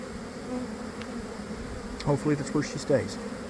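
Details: Honey bees swarming from a backyard hive around 1 pm, following a week of cold and damp. A low steady buzzing background, broken by several near passes of single bees in the last half.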